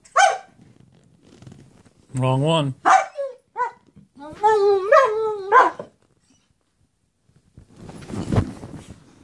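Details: German Shepherd, male, begging for his toy, gives a single short yelp, then a low groaning vocal followed by a string of wavering, whining moans. Rustling noise closes the recording.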